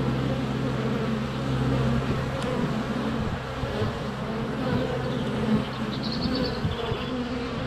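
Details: Honey bees crowding the entrance of their hive on a sunny February day, GoPro Hero 7 Black at close range: continuous low buzzing drone, a click near two seconds and faint high bird chirps toward the end.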